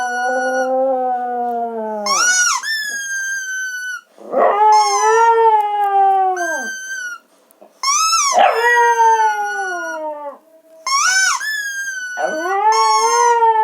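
A dog howls in long wavering cries, each rising then sliding down, repeated with short breaks.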